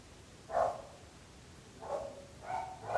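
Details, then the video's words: Barking dogs kept near neighbours: three short, hoarse barks, one at half a second and a quicker pair near the end, over a steady low background hum. "26 minuts gossos lladrant / 26 minutes barking dogs"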